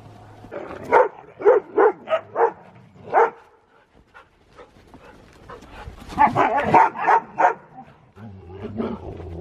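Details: Siberian Husky playing in the snow during zoomies, giving a burst of short, sharp yips and barks around one second, a pause, then another rapid run of barks near six seconds; human laughter nearby.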